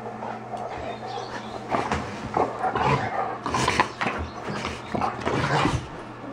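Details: Two dogs, Buster and Buddy, together in a kitchen, give rough, noisy growls and gruff bursts in irregular clusters, louder toward the middle, over a steady low hum.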